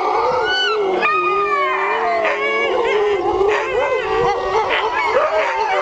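Several sled dogs howl together in long, wavering, overlapping tones.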